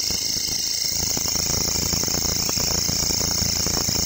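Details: Grasshopper calling in a local forest, giving an unbroken high, hissing trill at an even level from start to finish, with soft low-pitched rumble and faint crackles underneath.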